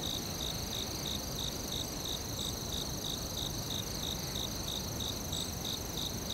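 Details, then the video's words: Rhythmic cricket chirps in the forest, crisp pulses recurring about three times a second beneath a constant piercing trill, with a dense hiss of ambient noise throughout. "Cricket Sounds ASMR | In the forest"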